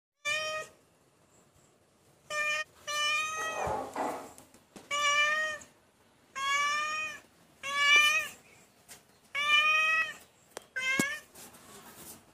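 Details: Domestic cat meowing indoors, about seven clear, drawn-out meows with strong harmonic bands, mostly level or slightly falling, in irregular bursts separated by short pauses; faint background rustling.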